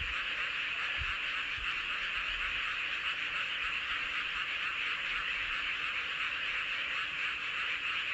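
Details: Under a full moon in Seowon-myeon, Hoengseong County, Gangwon Province, South Korea, a large group of frogs keeps up a continuous shimmering chorus of fast, high, overlapping croaks with brief low bumps near the start.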